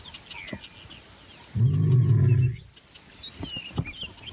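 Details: Wild lion giving a single deep, rumbling growl lasting about a second, a low steady tone with harmonics, set against a background of scattered high bird chirps and faint rustling.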